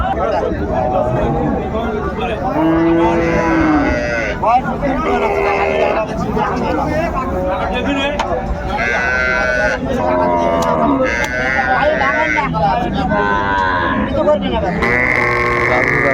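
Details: Cattle at Ambari market in Dinajpur, with a cow and her calf offered for sale on January 17, 2025: several drawn-out, harmonic moos rise and fall over a busy background of crowd chatter and people talking.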